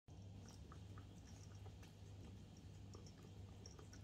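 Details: A female domestic cat eats wet food with soft wet smacking and clicking chews over a low hum.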